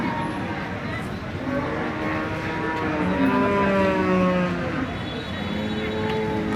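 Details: Thirteen-month-old Jersey heifer calf on a dairy farm in Bangladesh gives a long, tonal moo from about one and a half to five seconds. It starts low, slides in pitch, then holds steady over a constant engine-like rumble.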